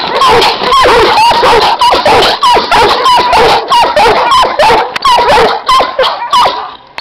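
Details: Giant Schnauzer guard dogs barking loudly and steadily, deep harmonic-rich barks with whining overtones repeated about every half second, close and dominant throughout.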